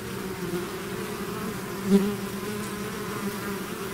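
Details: Bees swarming outside their hive make an even, low droning hum, one insect swelling louder as it flies close near the middle, the rest a constant soft buzz.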